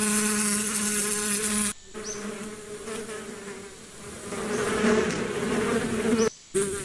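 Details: Steady droning buzz of bees, a low hum that swells and fades as the insects move, with sudden short silences and a couple of thin upward chirps in the background.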